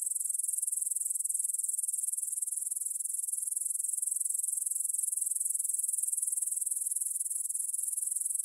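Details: A steady, high-pitched chirring of grasshoppers, recorded in stereo with a Tascam DR-44WL at 9pm on 6 September 2020 by the Svensky monastery field in Bryansk, Russia. Dense, even pulses come roughly three to four times a second, with no other sounds.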